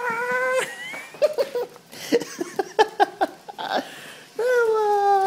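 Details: Bella, a hyper female Italian greyhound, vocalising indoors from excitement at seeing her owners: two drawn-out, high tonal yelps about half a second each, at the start and end, with a woman calling her name and soft thumps between.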